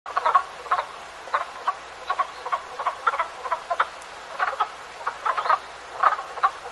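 Frogs croak in short, clustered bursts, several voices overlapping in an irregular chorus.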